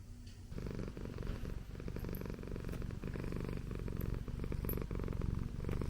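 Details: Pet Persian cat purring indoors: a steady, low, rumbling purr made of rapid even pulses that continues without a break.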